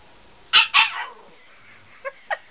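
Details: Siberian Husky puppy at bedtime play on a bed, giving two loud, sharp barks in quick succession followed by a trailing whine and two small, soft yips.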